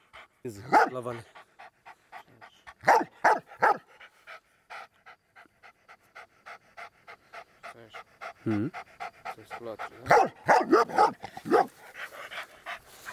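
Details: Working German Shepherd protection dog reacting to people close to his owner: fast rhythmic panting, about two and a half breaths per second, broken by groups of deep growly barks, with a man speaking nearby.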